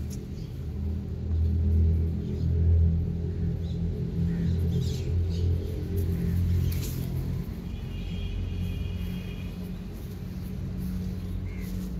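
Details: Low rumbling music with engine-like drone fills the recording, no animal voice heard.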